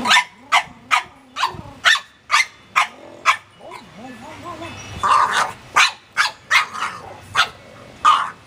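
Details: Penny, a pet dog, barks and vocalizes in a 'talking' way while another dog, Ruby, licks her owner; sharp barks repeat about twice a second, with a stretch of warbling, rising-and-falling whines between bursts and a person speaking.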